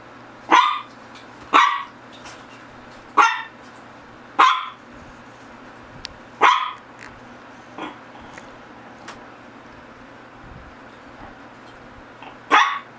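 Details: Shih Tzu barking repeatedly, one of GGung and SSong: roughly nine sharp barks, the first ones strong and regular about a second apart, later ones weaker and more scattered, over a low constant hum.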